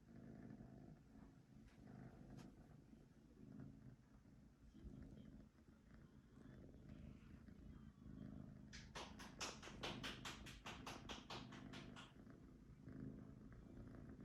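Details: Pet cat purring in a low continuous rumble, joined midway by a rapid run of sharp scratching or tapping clicks for a few seconds before the steady purr carries on.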